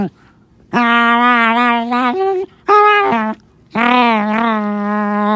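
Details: Black Morkie named Onyx guarding his toy from an approaching person, giving eerie drawn-out moans: a long level drone, a brief lower dip, then two more sustained groaning tones with short pauses between.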